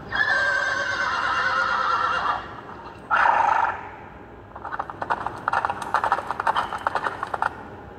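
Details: Young mare calling a stallion: a sustained harmonic whinny, a short loud squealing call, then a long rapid series of sharp clicks and clattering knocks.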